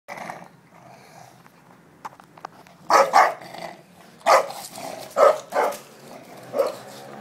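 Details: Playful bulldog carrying a bone chases a Labrador without one, the two dogs being friends and not fighting; a few short sharp barks and growly yelps come in bursts after a quiet opening, with soft rustling between.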